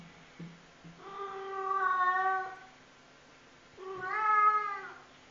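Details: A Maine Coon cat gives two long, drawn-out meows, each swelling and then fading, which the owner jokingly calls a roar.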